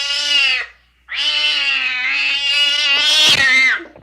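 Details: Two high-pitched cat meows: a short one, then a pause, then a longer wavering meow that ends with a clatter.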